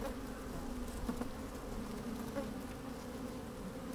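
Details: Sunny-day recording from within an opened beehive as honey bees move about: a steady, rumbling low hum with a brief louder buzz around the middle and soft scratchy clicks.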